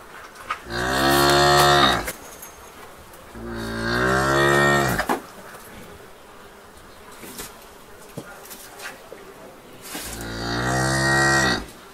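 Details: A cow in a barn gives three long, deep moos, each drawn out for over a second before tailing off.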